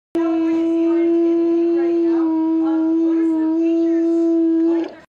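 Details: A sea lion holds a long, steady, hooting "oooo" for nearly five seconds, with slight dips in pitch midway, before it cuts off abruptly. The voice is clean with almost no background sound.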